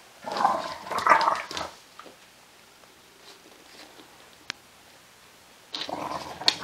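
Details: English Bulldog mother roughhousing with her puppy on an indoor play mat; two throaty, rasping growl-like bursts in the first second and a half, then quiet shuffling, a sharp click, and a final scuffle of noise.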